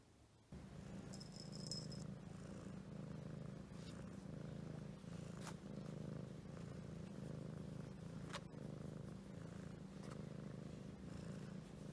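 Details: Domestic Shorthair cat available for adoption, recorded 30 March 2018, purring steadily: a continuous low rumbling throb held through the whole recording, with a few faint clicks and rustles over it.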